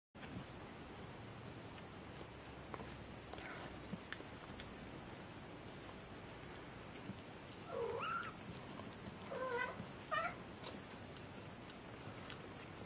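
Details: Three-week-old kittens giving a few short, soft, high mews in quick succession late in the recording, after a stretch of quiet room hiss with faint rustling.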